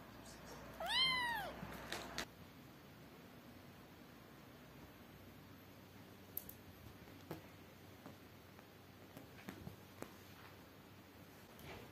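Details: Adopted kittens at play, a naughty black kitten biting an earphone; one short arching meow near the start, then near silence with scattered faint clicks and taps in a quiet indoor room.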